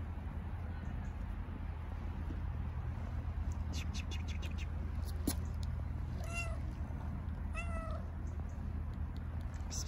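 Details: Hungry stray kittens on an Istanbul street meowing when they see the person who feeds them: two thin, high, slightly falling meows about a second and a half apart near the end, over steady low traffic rumble and scattered clicks.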